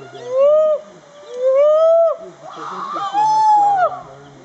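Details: Chimpanzee rain dance at Ngamba Island Chimpanzee Sanctuary, Lake Victoria, Uganda: three loud arching tonal hoots, each about a second long, rising then falling in pitch, with fainter overlapping calls from other chimpanzees.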